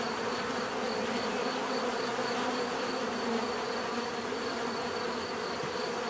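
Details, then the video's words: Short stretch of continuous bee buzzing, a dense even drone of many insects with a faint high tone on top and no interruptions. "bees therapy relaxing natural buzzing sound"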